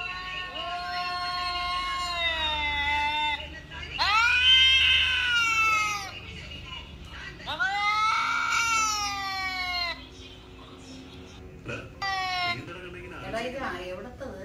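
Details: Cat sounds played on a mobile phone to an older cat: a series of drawn-out, harsh wails and yowls with bending pitch, followed by quieter, broken meow fragments toward the end.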